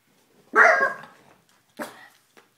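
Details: Puppies Ella and Duke at play; one loud, sharp bark followed by a shorter, quieter second bark and a faint click, in a quiet room.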